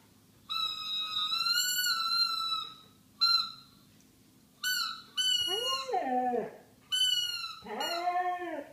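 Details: A 7-year-old male Siberian husky howls along with a toy trumpet, giving high, drawn-out tones and then shorter rising-and-falling yodels; he had never howled like this before.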